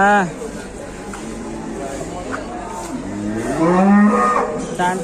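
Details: Sick cow with mucus discharge lowing: a short moo at the start, then a long, deep, drawn-out moo that swells in the last seconds, with a person's voice faintly in the background.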